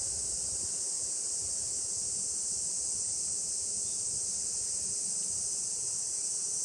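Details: Cicadas in a noisy Japanese summer; a steady, unbroken high-pitched shrill drone fills the whole clip without pause, with faint rustling underneath.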